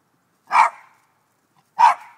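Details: Rat Terrier playing outdoors with a squirrel that follows and interacts with it; two short, sharp barks sound about 1.3 seconds apart, with silence between.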